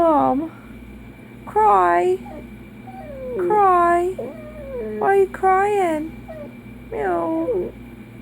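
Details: A sad Dachshund gives short, wavering howls that swoop up and down, in bursts about every two seconds; owner suspects it misses its absent male owner.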